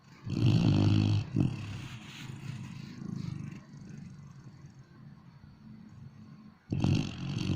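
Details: A sleeping dog snores: a deep, rumbling low-pitched snore lasts about a second, followed by softer breathing rumbles, then another loud snore near the end.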